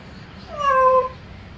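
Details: Single clear meow from a domestic cat calling its owner, a smooth steady tone lasting about half a second with a slight rise and fall, loud over a quiet room background.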